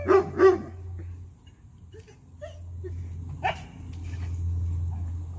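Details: Koda, a 2.5-year-old German Shepherd at a board-and-train dog boot camp in Atlanta, gives two quick, loud barks in a row at the start, then falls quiet over a steady low electrical hum.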